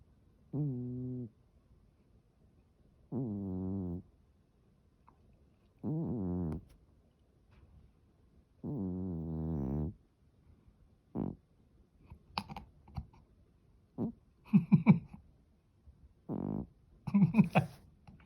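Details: Sleeping Norwegian Forest cat snoring: four long, deep, buzzy rasping breaths roughly every three seconds, then shorter scattered snorts and small clicking noises toward the end.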